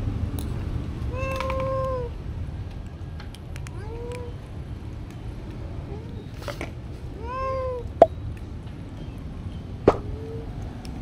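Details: Kitten meowing in a series of drawn-out, slightly falling mews, four to five calls over about ten seconds, some long and some short, with a couple of sharp clicks in between.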